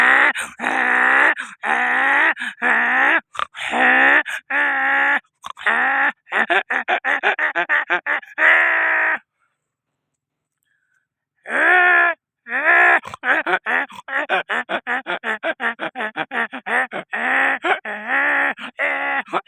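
A donkey brays loudly in long runs of harsh, rasping, harmonic pulses, broken by a brief pause.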